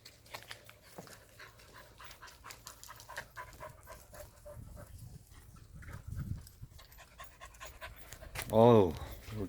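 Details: Korean native Jindo dogs Sundol, Baekho and Ttoksuni at exercise time; after stretches of rustling, panting and a man talking, one dog gives a single short, loud, tonal yelp or whine near the end.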